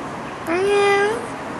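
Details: Playful stray cat happy to follow, giving a single clear meow about two-thirds of a second long that rises slightly, holds level, then lifts at the end, with rich harmonics over a quiet background.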